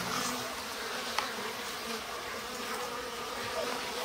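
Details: Spring colony of Japanese honey bees at a stacked-box hive, bottom board slid open; an even, dense buzzing hum fills the recording with faint higher whines and one sharp tap.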